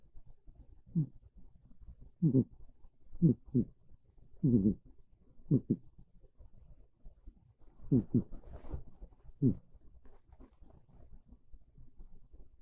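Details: Monta, a domestic cat, sleeping on a bed during a cold rainy afternoon, gives modest snores. Throaty low puffs come in uneven clusters, some paired quickly, separated by quiet gaps, with no other sounds.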